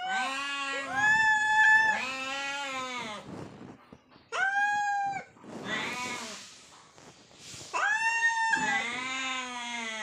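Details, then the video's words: Hungry cats, two of them, fighting for food and meowing: long wavering meows and caterwauls repeated every few seconds, some overlapping, with short breathy gaps between. "Hungry Cats meowing fight for food...Two cats meowing.."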